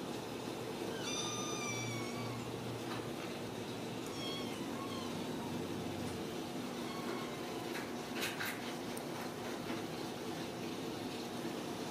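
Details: Ragdoll kittens at a home cattery in central Kansas. Several brief, high, rising mews are repeated every few seconds over a steady low hum, with some clattering near the end.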